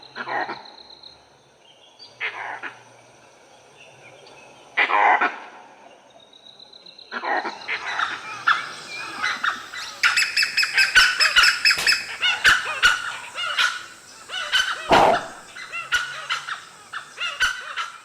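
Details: In forest in the morning, with dew still on the grass, langurs give harsh, coughing alarm barks spaced a few seconds apart, warning of a nearby leopard.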